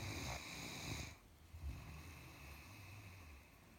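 A Great Dane snores with low, rumbling breaths, after a brief burst of broadband noise at the start.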